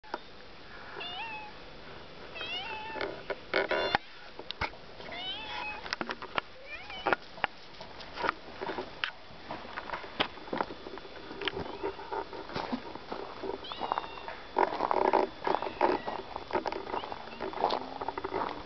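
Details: Domestic female cat on a hill behind a house, waiting after hearing the car arrive, recorded 17 June 2011; several short rising-falling meows scattered through, mixed with a person's speech and handling rustles, brief petting.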